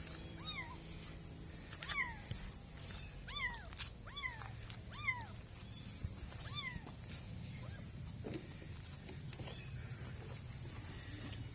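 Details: Kittens, two little cats, giving a run of high, arched meows, about nine in the first seven seconds, each sliding up and falling with bright harmonics, over a steady low rumble of background noise.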